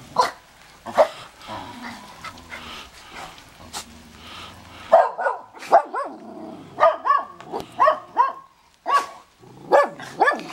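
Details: Several dogs barking at a snowy Big Bear home as the neighbours' dogs are heard: scattered yips at first over a low hum, then a steady run of clear, ringing barks from the midpoint.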